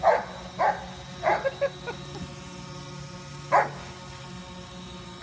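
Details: Giant Schnauzer Coco Bear barking in pursuit of a drone: a burst of four or five short barks in the first two seconds, some clipped and fading, then a single bark later, over a low continuous hum.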